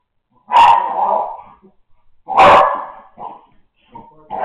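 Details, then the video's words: American Staffordshire puppy indoors, rolling and growling for no reason its owners can figure out; two loud harsh bark-like growls about two seconds apart, each trailing into a rumble, then softer grunts and a rising growl. "Puppy growling, rolling, and snorting for no apparent reason"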